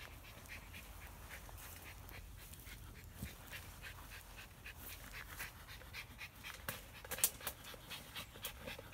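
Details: Schipperke dog discovering a long lost ball, breathing in soft, quick, breathy puffs like panting or sniffing, fairly steady and quiet throughout, with one sharp click near the end.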